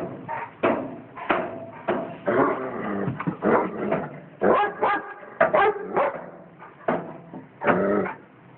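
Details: Dog barking at a cat it knows, out of habit rather than hostility; repeated sharp barks with whiny, stretched yelps between them, steady rhythm of about one bark every half second.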